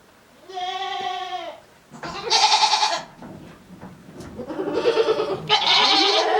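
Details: Male goat at a goat farm in Japan, 7 December 2022, calling too much in a strange voice: a clean tonal bleat followed by a series of loud, raspy, buzzing bleats running almost continuously.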